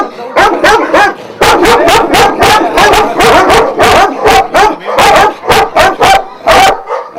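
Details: Šarplaninac kennel dogs of Vujanski origin in Jasika near Kruševac, Serbia, in continuous chorus barking, several voices overlapping so deep, harsh barks follow almost without pause for the whole stretch.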